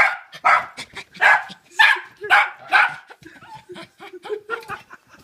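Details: Miniature Schnauzer, 11 months old, gives rapid, excited yips and sharp barks in greeting when owner arrives home, going crazy in a bag.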